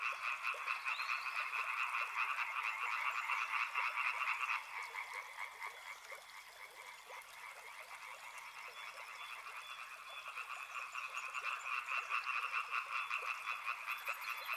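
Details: Frogs calling beside a river, a loud, dense rattle of overlapping croaks that suddenly drops in volume after four seconds, then slowly swells back to full strength toward the end.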